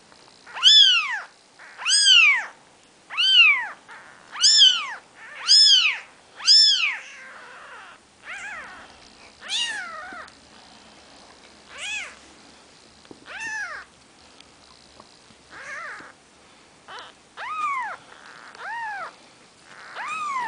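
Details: Maine Coon kittens four days old give high, arching mews, repeated about once a second.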